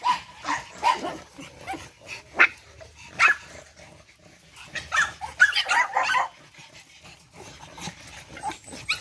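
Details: Charm's litter of energetic 8-week-old Boston Terrier puppies, with bursts of sharp high-pitched yaps and squeals in clusters, separated by short quieter gaps of scuffling.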